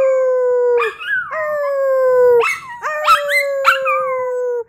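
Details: A Jackawawa dog howls in sustained level tones that sag slightly at the end, interrupted by sharp yelping breaks and brief rising squeals between the long notes.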